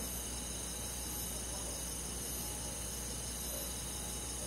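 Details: Countryside crickets and forest insects at night in summer, an unbroken high shimmering drone of overlapping trills with a low hum beneath, no pauses.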